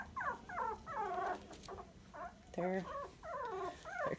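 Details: Tiny Dachshund puppies, 23 days old and sandstone coloured, weighed the same day, whimpering and squealing continuously in wavering, falling whines, several overlapping, with a harsher grumbling cry midway.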